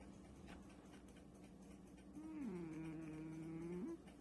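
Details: British Shorthair cat named Pung, touched while sleeping, gives a strange low drawn-out moan for under two seconds. It starts level, dips, then holds a steady tone with faint overtones over quiet indoor hum.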